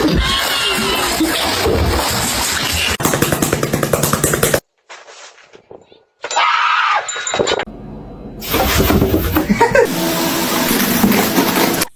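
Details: Loud music and speech with engine-like noise and abrupt cuts, without any animal calls.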